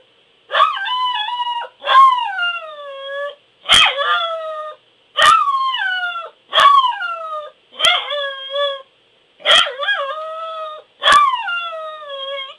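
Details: Yelping howls from a Pembroke Welsh Corgi: eight short bursts, each opening with a sharp bark-like onset and trailing into a brief descending wail, repeated steadily about every one and a half seconds.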